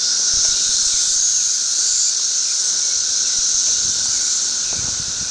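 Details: Loud massed chorus of thirteen-year periodical cicadas on a heavily infested tree: an unbroken, piercing high-pitched drone, nearly level throughout, with only gentle rises and falls.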